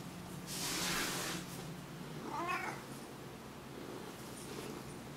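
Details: Tessie the Siamese cat, a house pet wanting attention, recorded indoors in low light with a Sony HDR-CX550V; a soft breathy rustle comes first, then one short tonal meow midway, over a low steady hum.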